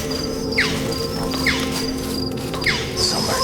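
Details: Red-tailed lemurs in western Madagascar give sharp, piercing alarm cries about once a second over background music, warning the troop after people entered their territory.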